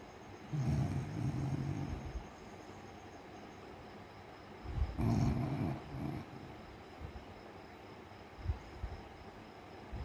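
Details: A sleeping beagle snoring: two long, low rumbling snores lasting over a second each, separated by quiet breathing, with a few softer snuffles afterwards.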